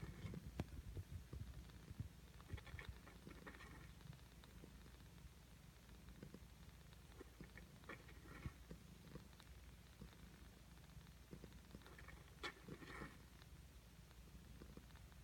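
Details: Six-day-old Ragdoll kittens purring: a steady low rumbling throb held throughout, with faint soft clicks and rustles over the top.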